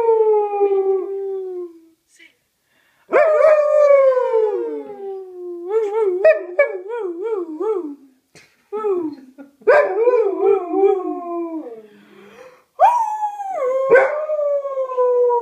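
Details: Pet Alaskan Malamute singing along with its owner: a series of howls, some long and sliding downward, others broken into quick wavering yodel-like notes, with short pauses between phrases.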